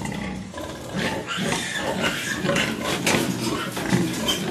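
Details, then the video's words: Crossbred Landrace x Duroc sow farrowing a litter of 16 piglets during a zootechnics practical at a university in Santo Domingo, Dominican Republic; rough, noisy grunts and short squealing bursts over steady barn clatter. "Parto de 16 Cerditos, Cerda Mestiza Landrace con Duroc"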